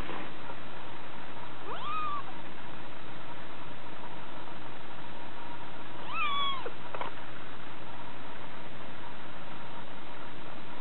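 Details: A 6-week-old female Scottish Fold munchkin kitten gives two short, high, thin meows a few seconds apart.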